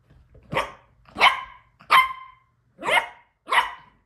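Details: Yorkshire Terrier puppy, Elle, playing on a couch with her Shorkie sister Rissa; five sharp, bright yapping barks spaced roughly every 0.7 seconds, each short and clipped, in a quiet indoor setting.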